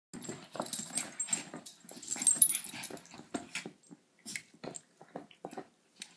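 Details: A 14-week-old Shiba Inu puppy playing indoors, giving soft scattered growls, grunts and snorts in short bursts, with rustling and scuffling throughout.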